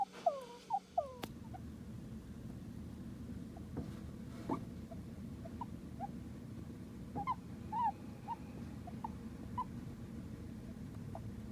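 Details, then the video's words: A Djungarian hamster, kept as a pet, gives soft, brief squeaks scattered irregularly over a low hum. The owner notes its odd calls while asleep and wonders if it is sleep-talking. "ハムスターの鳴き声特集。 声の高さ、鳴き方がみんな違う！My hamsters make funny sound."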